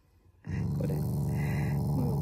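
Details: Playful Shiba Inu growling at its family, a show of affection rather than anger: a steady, low, rumbling growl that starts abruptly and holds without a break for nearly two seconds.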